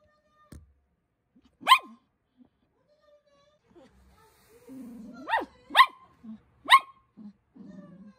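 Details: A poodle puppy named Cookie barking to get attention indoors: four high, sharp barks, one alone and then three close together about half a second apart, mixed with brief low whines between them.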